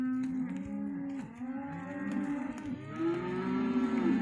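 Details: Hereford calves bawling continuously, many voices overlapping, level droning moos mixed with shorter arched cries, one higher drawn-out call standing out toward the end.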